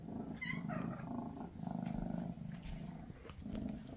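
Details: Mama Freya, a Maine Coon, with her kittens before they go to new homes: a short high mew at the start, then a rhythmic low purr pulsing in bursts with brief pauses between breaths.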